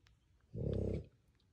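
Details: Two young French Bulldog puppy sons sleep-talking indoors: a single short buzzy, growling murmur lasting about half a second, rough and pulsed, with quiet room noise around it.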